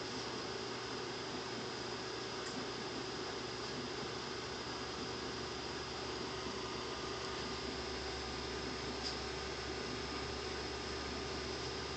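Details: Steady indoor hum like an air conditioner or fan fills the room with broadband noise and a low drone; no bird or cat sounds stand out.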